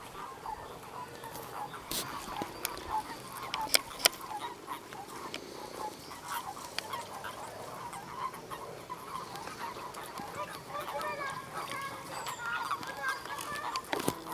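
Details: Common toads mating in a pond, in groups, smaller males clasping females: short, soft, overlapping croaking notes in a continuous chatter; finding: Common toad.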